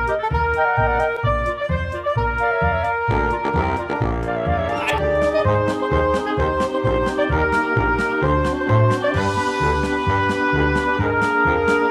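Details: Upbeat brass-led jazz music with steady bass and percussion fills the whole stretch, no animal sound.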